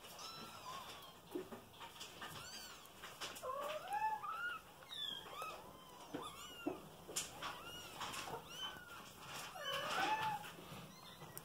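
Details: Mashenka, a three-month-old young female cat showing maternal instinct, lies in the nest with kittens and licks them. Rapid, overlapping arched mews, rising then falling, come in quick succession, several voices calling over faint indoor background.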